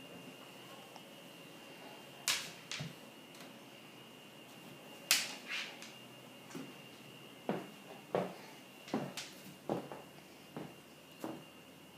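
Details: A quiet indoor room with a steady electrical hum and scattered sharp clicks and taps, with no animal voices.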